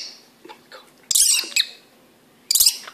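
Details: Orphaned baby black flying foxes, megabats in rescue care, giving sharp high-pitched squeaks in short bursts: one long burst near the middle, a brief one after, and another at the end, with soft fainter chirps between and a person's voice nearby.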